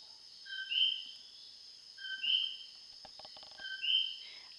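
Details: Common coquis sing loudly at 2 a.m., repeating a two-note 'co-QUI', a low note then a higher whistle, over a steady insect hum.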